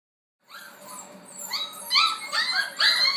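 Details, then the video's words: F1b Goldendoodle puppies, six weeks old, noisy indoors during a football game; high-pitched whining squeals that rise and fall, growing louder and coming in quick overlapping bursts. "Noisy Goldendoodle Puppies During Football"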